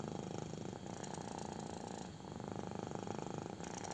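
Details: Kitten purring intensely while enjoying a belly rub: a continuous, dense, rumbling purr with fast, even pulses that barely pause, close and loud, with a faint high hiss behind it.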